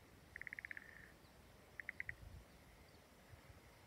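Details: Frog calling from a rice paddy in Kamiono, Daigo, Ibaraki, Japan: a quick run of about eight sharp clicking pulses, then a shorter burst of four, over a quiet rural background.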